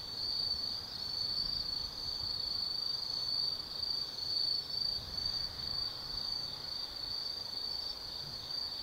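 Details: Autumn night insects in the forest at Tsukimi no Mori, Kaizu, Gifu Prefecture, Japan; a shrill high trill pulses in uneven surges, about one swell per second, over quiet background hiss.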